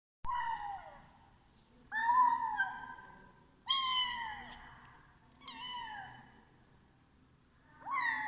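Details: Domestic cat meowing while eating: five loud meows spaced about two seconds apart, each a nasal cry that starts high and slides downward, with quiet pauses between.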